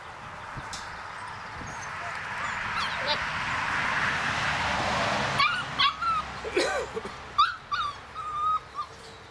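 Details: Six-week-old German Shorthaired Pointer cross puppies playing and running around outside. Steady rustling noise fills the first half, then a burst of short, high yips and thin whimpers, some bending up or down in pitch, over the last four seconds.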